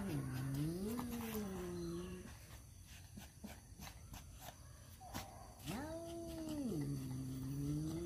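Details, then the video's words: Male domestic cats fighting over a female: low wavering growl-yowls that rise and fall, separated by a stretch of clattering noise, then another long drawn wail dipping low at the close. "suara kucing berantem rebutan janda"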